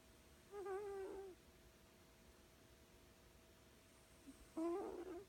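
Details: Snoring from a sleeping female cat, Cobweb, loud enough to rouse her; two nasal, wavering whistled tones about four seconds apart, the second ending in a rougher burst, with soft room hum.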